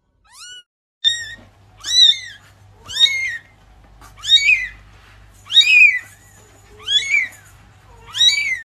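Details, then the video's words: Young cat giving high, thin meows, each a clear falling wail about half a second long, repeated roughly once a second, seven in all, with faint low hum behind. "meow meow meow cutebaby cat"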